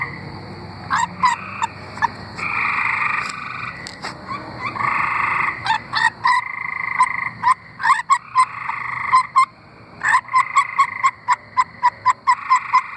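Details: Singing tree frogs from Arkansas, several calling together: long buzzy trills overlap with rapid runs of short, clicking notes, forming an uneven, dense chorus.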